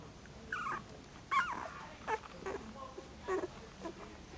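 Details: Puppies in their second week at Sailorsbay Kennel, giving several short whimpering squeaks and whines at irregular intervals, some rising then falling, with soft rustling between calls in a quiet indoor setting.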